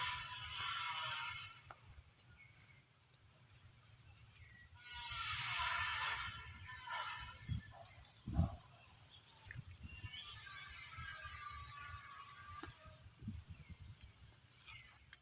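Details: Frightened baby monkey reacting to people coughing, giving a loud harsh scream at the start and another about five seconds later, then quieter squeals, against a constant shrill insect drone and scattered bird chirps.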